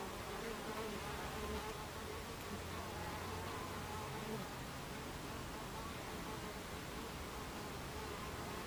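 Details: Buckfast bees humming at their hive entrance, 2:30 pm on 26 July 2013; a thick, even drone of numerous wings, occasional thin passing buzz tones rising above the steady broadband rush.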